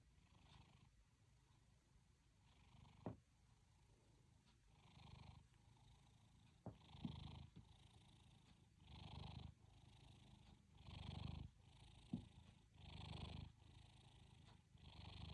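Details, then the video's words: A cat named Mimi snoring in her sleep, a soft low rumbling breath that swells and fades about every two seconds, growing louder toward the end, with a few faint clicks. "Mimi snoring in sleep"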